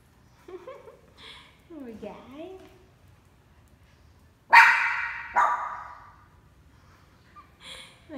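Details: Pomeranian kept as a pet and said to bark even at an orchid plant. After a stretch of Vietnamese speech come two sharp, noisy barks less than a second apart, then more soft talking.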